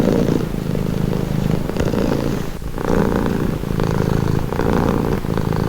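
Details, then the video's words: Close, rumbling cat purr, low and continuous, with soft rhythmic surges as the animal breathes in and out, a brief quieter moment midway. "Purring cat"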